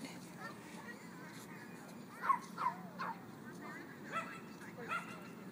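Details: Dogs at play in a dog park bark in a loose run of five short yelps, the first two loudest and close together, the rest tapering off, over a continuous crowd murmur.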